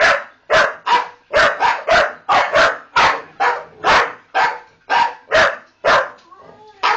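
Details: Several pet Staffordshire Bull Terriers "talking" to their owner: a rapid, uneven run of about fifteen loud, harsh, barking yowls, each roughly half a second long, with short gaps and a brief softer grumble near the end.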